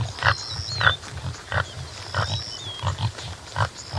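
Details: Rhythmic deep grunts from a topi (Damaliscus lunatus jimela), roughly two each second in a loose beat, with high steady whistles and warbled bird phrases drifting over them.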